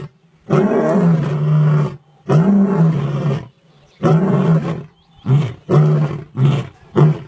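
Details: Male lion roaring powerfully: a long, deep, rasping roar, a second roar, then a run of shorter grunting roars spaced under a second apart, strongly low-pitched with brief pauses between.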